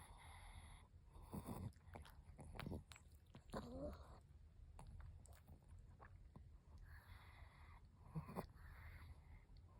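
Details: Chihuahua snoring while sunbathing: quiet, low rasping snorts and breathy bursts recurring roughly every second, with soft rustling between breaths.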